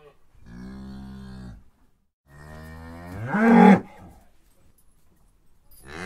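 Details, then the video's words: Domestic cow mooing twice: a steady, low, droning moo lasting over a second, then after a pause a longer moo that swells, rises in pitch and ends in a loud, strained burst, with another moo starting at the end. "Cow Moo Sounds"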